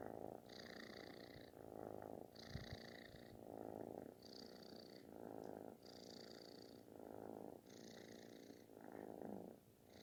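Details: Affectionate kitten giving a booming, snore-like purr: continuous low rumbling that swells and shifts with each breath roughly every second, inhales marked by an airy upper hiss, with no other sounds intruding.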